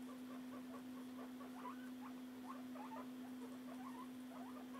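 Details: Two pet guinea pigs feeding, one of them barely eating: soft, rapid crunching and clicking chews scattered throughout, quiet overall, over a steady low electrical hum.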